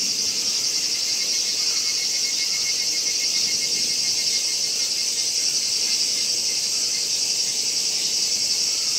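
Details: Kaempfer cicada recorded on 11 August 2017 at Gongenyama Bird Sanctuary in Japan, with a horsefly nearby. It gives a continuous, steady, shrill high buzz without a break, and a faint rapid ticking runs underneath.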